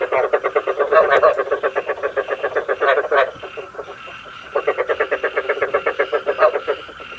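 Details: Lure recording of frogs for night trapping, with rapid pulsed croaks at about four per second in two bursts separated by a short lull near the middle.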